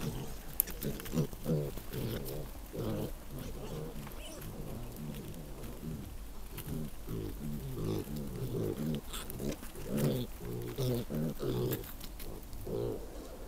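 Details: Wild boar sow walking on with her young piglets, which want to suckle; a steady stream of low, rapid grunts and squeaky squeals in clustered bursts throughout, over faint background rustle.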